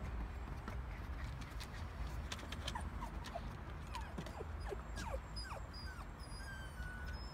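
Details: Female Pomsky crying after greeting a King Charles Spaniel and realising the other dog doesn't want to play; a run of thin, high, short whines sliding downward in pitch, repeated irregularly over a steady broadband background hiss.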